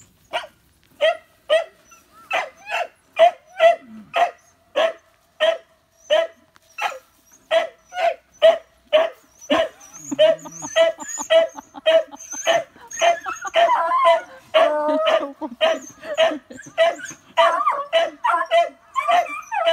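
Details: Beagle barking on Amami Oshima, Japan, during a visit to newborn beagle puppies, nieces of the dog Gonta: sharp barks repeated almost twice a second, fairly steady, then looser and more overlapping toward the end.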